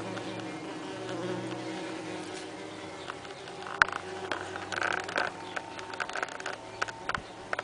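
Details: Saxon wasp (Dolichovespula saxonica) workers at their nest inside a nest box, 30 June 2010, in heat, having perforated the nest envelope to improve air circulation and cooling; a steady low droning hum, with scattered crackling clicks and scratches later on.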